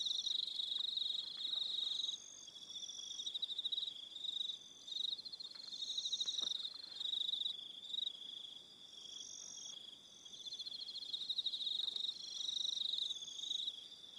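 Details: Crickets on Aroha Island, New Zealand, sing through the evening in a shrill pulsed chorus, chirps coming about four per second, overlapping voices rising and fading.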